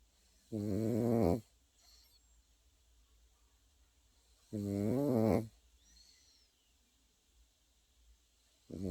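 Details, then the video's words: Pekingese puppy asleep, snoring in slow rhythm: two harmonic, rasping snores about four seconds apart, each near a second long, with quiet breathing between and a faint high chirp in the background. "패키니즈 코고는 영상"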